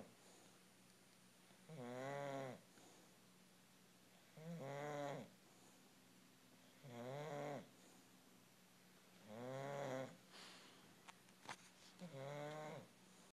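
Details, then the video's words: Sleeping English bulldog snoring steadily: five rough, harmonic snore bursts spaced about two and a half seconds apart, each swelling and fading, with a few faint clicks near the end. "English bulldog snoring"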